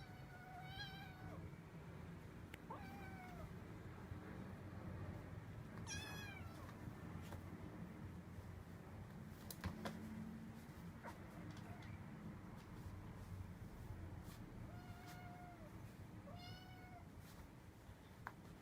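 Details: Rescued domestic cat, one of four in a foster home, surprised by its own tail while scratching its back; repeated clear meows, some rising then falling, scattered across the clip with quiet indoor background and occasional clicks.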